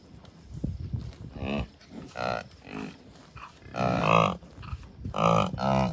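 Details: American bison cows, bulls and calves grazing together at a Colorado wildlife refuge north of Denver on June 2, 2022; a few drawn-out, low, tonal bellows rise above gusty wind noise, the loudest arriving near the end.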